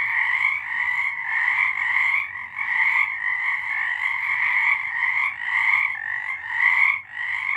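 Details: Frogs singing at night in March 2023, a dense chorus of many callers forming a continuous trilling wall of sound, bright and high with a lower band beneath, briefly dipping near two and a half and seven seconds.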